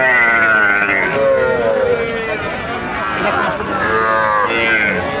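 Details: Cattle at Raniganj livestock market among bulls, heifers and calves: a falling moo in the first seconds, then overlapping voices and market chatter, with another short bellow-like call near the end.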